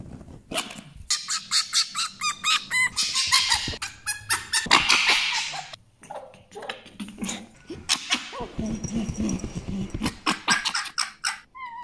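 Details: Djinn, a pet fennec fox, making a run of cute, funny, sad and scary noises: rapid series of sharp, high chirping yelps and squeaks in bursts, pausing briefly, then lower whining calls and a few thin whistled notes at the end.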